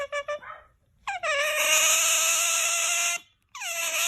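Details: Otter producing strange noises: a few short chirps, then a long, loud, harmonic squeal held steady for about two seconds, followed after a pause by another rising squeal.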